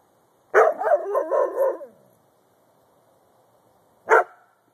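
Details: Dog barking: one drawn-out, rough bark-howl lasting over a second, then silence and a single short sharp bark.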